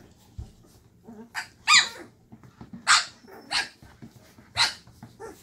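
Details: Llewellin Setter puppies aged 2.5 weeks, active in their box in the evening after their mother stirs them up, finding their voices; a series of high, bright yips and small barks comes roughly once a second, irregular.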